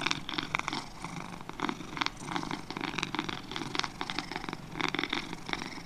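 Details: Two domestic cats purring steadily, a close, buzzy vibrating rumble that swells and eases with each breath, plus a faint low hum underneath.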